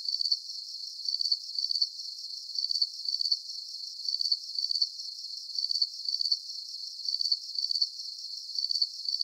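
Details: Crickets chirping for sleep relaxation: high, thin pulsed chirps grouped in close pairs, repeating steadily about every half second against a faint shimmering background, with no other sounds.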